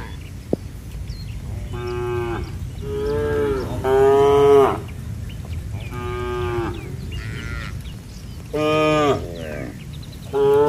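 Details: A herd of tame cattle runs toward their shed in the rain under otherwise bright weather, mooing repeatedly in long harmonic calls that rise and fall over a steady background hiss.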